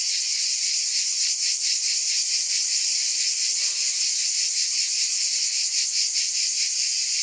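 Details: Steady high buzzing of cicadas, a continuous chorus with a soft, rapid pulse; a brief faint lower tone slips through midway.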